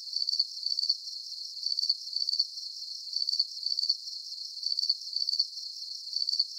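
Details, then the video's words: Crickets singing in a relaxing nature recording: sharp, pulsing chirps clustered in little groups, with brief gaps between clusters, the pattern recurring evenly; only a faint high hiss accompanies them. "Calming Cricket Sounds"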